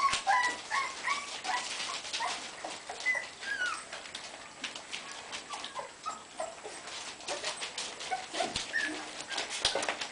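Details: Litter of 27-day-old puppies giving frequent short squeaky whimpers and yips, some rising or falling in pitch, overlapping at an irregular pace over scuffling movement noise.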